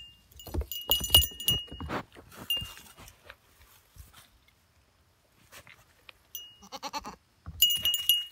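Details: Goats wearing cowbells: bright metallic bell clanks and jingles ring out in bursts, then a short wavering bleat rises from the animals before the bells jangle again.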